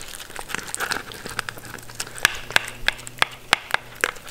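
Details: Mindy, a Shetland Sheepdog, eating her food: sharp dry crunches snap out one after another, several each second, over a faint low hum.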